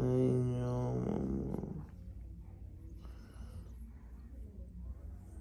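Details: A frightened female Bengal cat gives a low, drawn-out moaning yowl that slides slowly downward.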